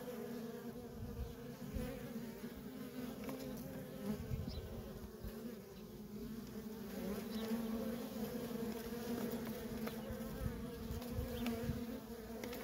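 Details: A continuous low hum from heavy worker honey bee traffic at a feral colony swells and fades slightly as bees pass close. Occasional soft thumps sound underneath.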